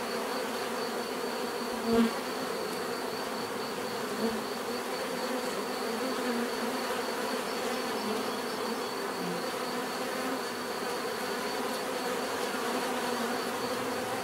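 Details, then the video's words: Many bees produce a constant deep buzzing hum with shifting overlapping tones; one bee flies close near two seconds, a soft click follows, and the drone continues unbroken to the end. "bees therapy relaxing natural buzzing sound"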